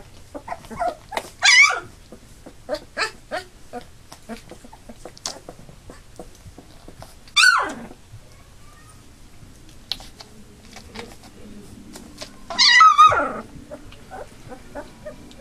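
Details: A litter of eight Labrador Retriever puppies, two days shy of three weeks, already walking about; three loud, wavering, high yelping whines spaced several seconds apart, with faint short squeaks and ticking in between.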